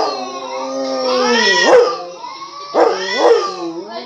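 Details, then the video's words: Dog reacting to recorded barks: a long, steady, wavering howl with two sharp yelping accents, about two seconds apart. "Perro que escucha ladridos y miren como actua"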